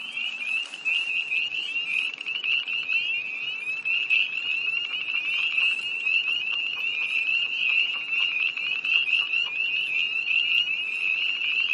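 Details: Tree frogs chorusing by a pond on a cold night, 1 March 2011, near Hillsborough, North Carolina, heard from a car: a dense, continuous chorus of high trilling peeps in a steady band, no gaps.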